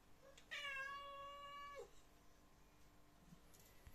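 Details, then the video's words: A British Shorthair cat gives one long, drawn-out meow, asking for food, while another cat waits patiently. "Cat Meowing"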